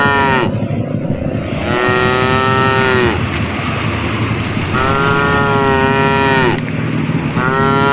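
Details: Herd of tame cows driven along a forest path, calling: two drawn-out moos of roughly one and a half seconds each, with a brief call cut off at the start and another at the end, over constant low engine-like noise.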